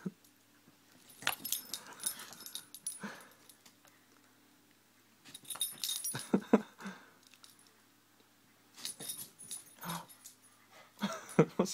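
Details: Sasha, a three-year-old female Cavalier King Charles Spaniel, plays with bubbles at home: clusters of short snuffling, snapping bursts with brief whimpering tones, separated by quiet pauses of a couple of seconds.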